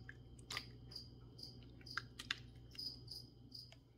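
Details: Cricket giving brief shrill chirps roughly every half second, mixed with crisp clicking and crunching noises and a faint low hum throughout.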